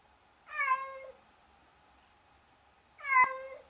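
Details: A handsome cat gives two clear, harmonic meows about two and a half seconds apart, each rising slightly then falling, in a quiet indoor setting.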